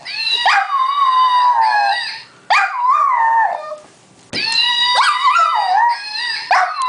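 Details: Howling from Munchie the dog: drawn-out wavering cries that start high and sag in pitch, three main bursts separated by brief quiet gaps, with quick yip-like breaks at the onsets.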